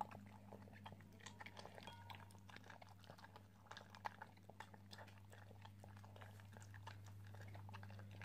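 An Italian greyhound chewing and crunching food in quick, irregular clicks over a steady low hum.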